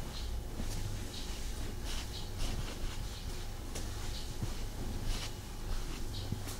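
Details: Tommy, a pet cat, purring while snuggling indoors; a steady low rumbling purr runs throughout, overlaid by soft rustling and brushing of fabric.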